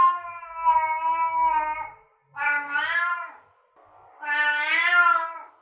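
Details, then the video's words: Long, plaintive cat meows meant to attract a cat: three sustained wailing calls, the first steady, the later two rising and bending in pitch, with short silent gaps between. "Meows to ATTRACT Cats (Meow Sounds to Attract Cats). Cats Meowing Sound Effects. Kitten Sounds"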